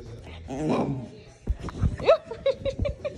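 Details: A Miniature Bull Terrier makes drawn-out, wavering whines, trying to say 'mama' as a person repeatedly coaxes 'say mama'.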